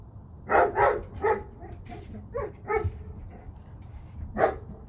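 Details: German Shepherd, ten months old, during obedience training with recall and sit commands; several short barks in a quick cluster, then a pause and one more bark, with low background rumble.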